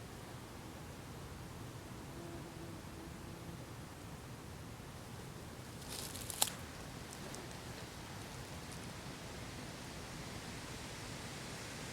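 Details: Faint steady background hiss and low rustle near a bumblebee nest, with a brief sharp click midway and no clear animal sound.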